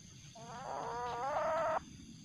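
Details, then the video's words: Juvenile common palm civet, aggressive at night, later released back to the wild: a drawn-out, harmonic wailing cry of about one and a half seconds that climbs slightly and stops abruptly, over a quiet background. "anakan musang sangat agresif di malam hari"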